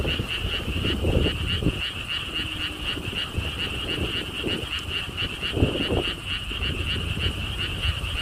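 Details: Frogs at a Korean lotus park pond along a stone wall path in Siheung give continuous rapid pulsed croaks, about four per second, while gusts of wind and low rumbling come and go.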